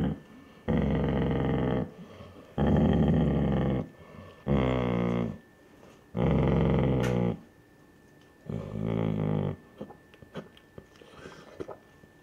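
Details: A Basset Hound mother guarding her pups from the curious grandfather dog gives five low, rough, drawn-out growls of about a second each, spaced about two seconds apart, some rising into a throaty whine, before fading into quiet shuffling.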